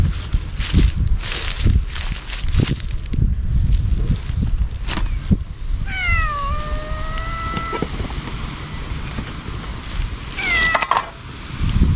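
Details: Ear-tipped sakura stray cats crying while being fed Kalkan and Churu in a place resembling Laputa; one long, wavering meow lasting about two seconds, then a shorter, sharper cry, amid thumps, scuffling and outdoor background noise.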